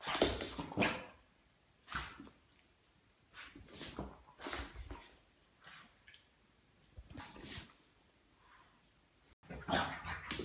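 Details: Boston Terrier going wild indoors: short sharp barks and yips in uneven bursts, several in the first second, then single outbursts every second or two, with quiet gaps between.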